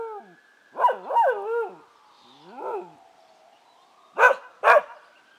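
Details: Keeshond dog howling in response to passing sirens: short wavering, harmonic howls and yelps rising and falling, then two sharp barks near the end, all over a steady wailing siren in the background.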